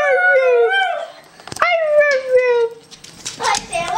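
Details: Pet dog named Honey, coaxed at home into a vocal 'I love you': drawn-out falling howls with strong harmonics, two long tones separated by a sharp click, then a rough mixed burst at the end.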